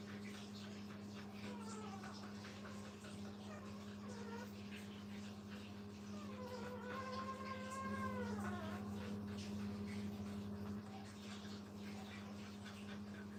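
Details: Brittany puppies with their mother, kept at a kennel: faint, drawn-out whines sliding downward with clear overtones, plus a few shorter whimpers earlier, all over a steady electrical hum.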